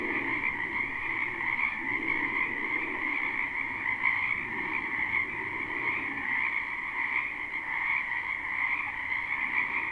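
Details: Live spring recording of numerous frogs in a wetland, no looping: constant high trilled croaking from a large chorus, plus lower croaks rising and falling every few seconds beneath it.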